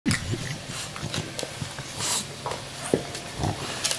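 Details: An English Bulldog about one year old snorts and grunts in short, rough, pig-like bursts, recorded December 28, 2015.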